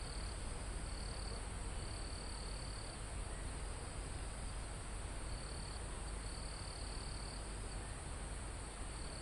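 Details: Crickets in a calm mountain forest near the summit, live recording: steady high-pitched trills come in bursts of one to two seconds with short gaps, over a constant broad hiss of wind moving through foliage and trees.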